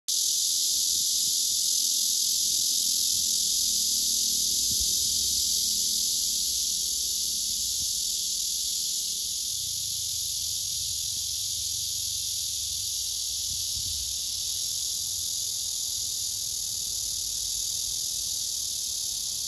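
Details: Male blackish cicada singing its courtship song toward a female below that does not respond: a steady, harsh, high buzzing drone that runs unbroken for the whole stretch, with a faint low rumble beneath.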